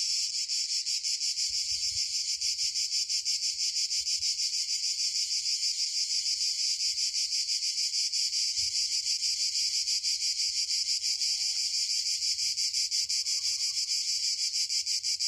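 Cicadas fill the air with a steady, dense, high-pitched buzzing that never pauses.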